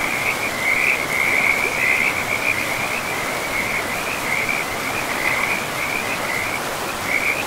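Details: Forest-river frogs in pristine woodland keep up a dense run of high, rattling trills, each burst following closely on the last, with a soft steady wash of river water underneath throughout.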